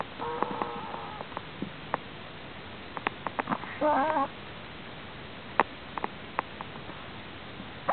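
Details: A sleeping prairie dog makes strange snoring sounds: a short series of thin, squeaky harmonic notes, then a wavering squeal near four seconds, with scattered soft clicks and rustles in a quiet room.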